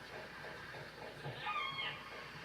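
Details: Killer whale call from Prince William Sound, a call learned from mother and grandmother and made only by the AJ pod; short rising whistled tone with harmonics near the middle, over faint rhythmic clicking of echolocation and low background noise.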